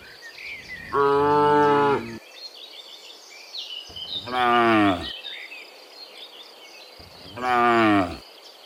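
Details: Dozens of cows heading home from the fields to the pen in the afternoon; three full, harmonic moos roughly every three seconds, with scattered bird calls in the background.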